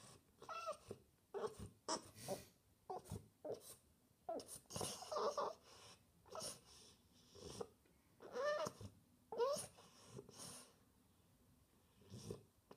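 A French Bulldog makes short, wavering whines and grumbles in quick bursts to get attention.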